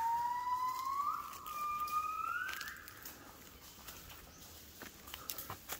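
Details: Gibbon song at 5 a.m. in the Cat Tien jungle of Vietnam, 16 January 2023, as the apes wake: two or three smooth whistles climbing in pitch during the first three seconds, then fading to faint forest hiss and crackle.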